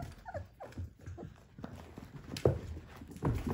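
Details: Three-week-old Whippet puppies from a Minx x Oscar litter give thin, falling whines in quick succession during the first second, followed by soft rustling and shuffling thumps from the pups moving about.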